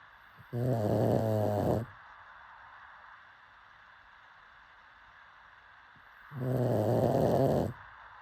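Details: Pug asleep and snoring: two rough, rumbling snores about five seconds apart, each lasting just over a second with a buzzy low tone, quiet breathing between them.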